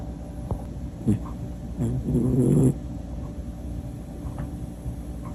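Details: Sleeping Pomapoo, a Pomeranian and toy poodle mix, snoring: a few short low rasping snorts, then a longer rattling snore near the middle, over a steady faint background hum.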